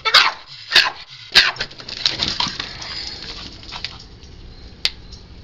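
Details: A rescued Cavalier King Charles Spaniel barks loudly in the morning, sharp, high barks asking to be let outside.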